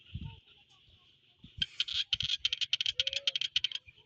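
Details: Frogs croaking in the evening: a quick, uneven run of sharp, clicking pulses lasting about two seconds, set against a steady high ringing drone, with a few low thumps early on.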